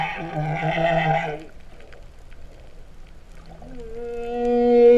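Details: Humpback whale song recorded underwater at Vava'u, Kingdom of Tonga, in September 2015, its singing likened to a cow's mooing: a rich harmonic moan lasting about a second and a half, a quiet gap, then a steady tonal hum swelling louder.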